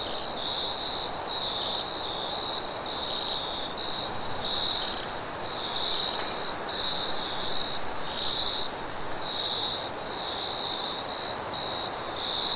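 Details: Crickets at night with wind sounds: a high, shrill, pulsed trill repeated in bursts with short gaps, over a steady blowing wind noise.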